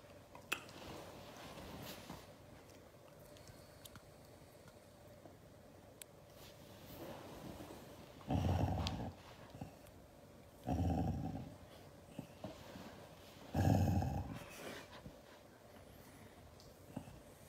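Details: Siberian Husky, annoyed by hugs, gives three separate low rumbling growls spaced a few seconds apart, each about a second long, between stretches of quiet rustling and scattered clicks.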